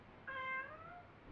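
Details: Domestic pet cat named Me, in a home dialogue with its owner, gives one clear drawn-out meow lasting under a second, a bright harmonic tone that bends slightly downward at the end, over quiet indoor room hiss.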